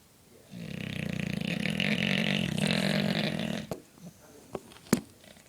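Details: A sleeping 4-year-old English Bulldog gives one long, rattling snore, a low buzzy drone lasting about three seconds.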